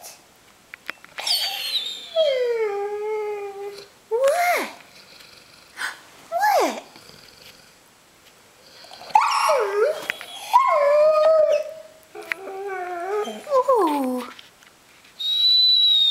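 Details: Bernese Mountain Dog puppy Teo, six months old, sitting up indoors and talking back with a run of whining, howl-like vocal bursts, some gliding downward, spaced by short pauses; a woman's voice is heard around the calls.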